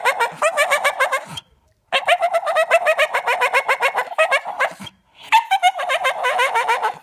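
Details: A male Staffordshire Bull Terrier who loves toys and sticks makes rapid, clucking, yodel-like whines, asking to play.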